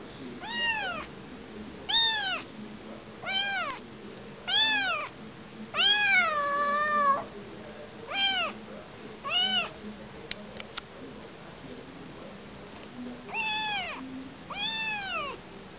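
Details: Kitten separated from its mother, meowing insistently, about a dozen bright rising-falling cries roughly every second, one drawn out and wavering, with brief clicks in a quiet gap near the end.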